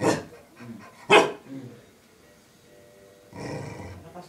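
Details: Dog that wants to go out but cannot, giving two sharp barks a second apart, then a pause and a softer, rougher growling bark near the end.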